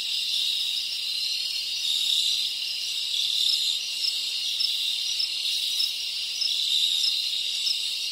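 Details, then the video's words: Tropical crickets recorded in the Dominican Republic, forming a continuous high-pitched buzzing trill that rises and falls slightly in loudness, with a hiss-like wash above it. "Tropical Cricket Sounds"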